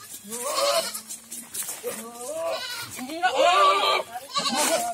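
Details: Several goats bleat at a farm in Ajmer and Kota, Rajasthan: wavering, quavering nasal bleats in quick succession, some lower and some higher-pitched, overlapping one another.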